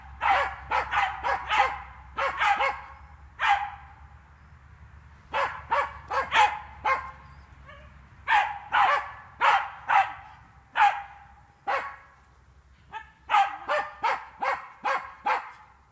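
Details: Hunting terrier of the Jagdterrier breed being trained on wild boar in a fenced park, barking in quick clustered bursts separated by brief pauses, some barks rapid-fire, others single and spaced, with a low hum behind.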